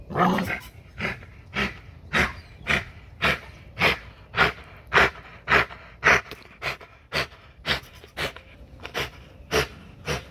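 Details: XL American Bully during a heavy-duty spring pole workout at Caona Bullys, panting hard in regular breathy bursts, nearly two per second, each a broad airy rasp, with a quiet background.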